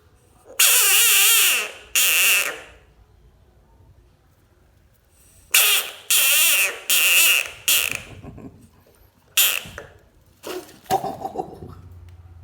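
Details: Bullfrog giving repeated harsh, wavering screams in bursts of one to two seconds, clustered in groups with quiet gaps between, ending in shorter broken squawks.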